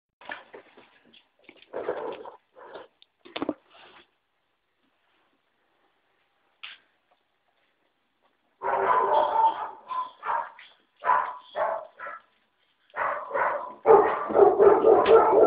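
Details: Five-week-old puppies indoors, making scattered short whimpers and squeaky yips, quiet at first, then a dense burst of overlapping high yelps in the second half, with some human speech.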